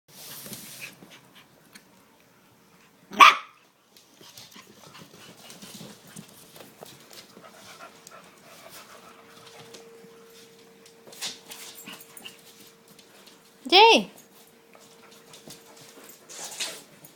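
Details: Seven-week-old puppies at play give a few short, sharp yelps, one with a rising-then-falling whine, spaced far apart over otherwise quiet background with a faint steady hum.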